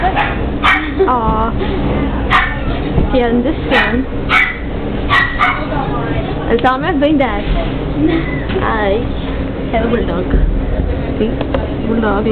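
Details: Puppies in a puppy shop, heard through a glass partition: short sharp yips and barks scattered through, some whiny rising squeals, over steady people's speech and shop room noise.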